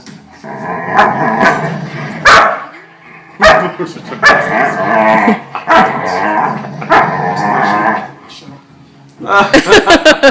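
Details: A pet dog playing tug-of-war with another dog indoors gives bursts of rough growling broken by sharp yips and barks, ending in a rapid string of short barks, with a person talking in between.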